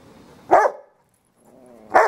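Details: Yorkshire Terrier Fred going after Robbie the Rottweiler: two sharp barks about a second and a half apart, separated by a low, steady growl.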